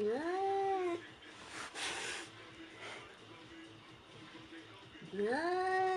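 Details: White cat facing a mannequin meows twice, one long bending meow at the start and another near the end, separated by a burst of rustling noise and a quiet stretch.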